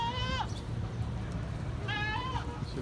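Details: Hejazi goats bleating: two wavering, nasal bleats with rich harmonics, each about half a second long and roughly two seconds apart, over a steady low electrical hum with faint background chatter.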